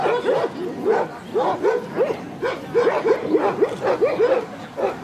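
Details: Club show of Central Asian Shepherd Dogs, Kyiv (Krasylivka), Ukraine, 28 September 2019; rapid, steady barking of about a dozen deep, rough barks over five seconds, faint talk behind.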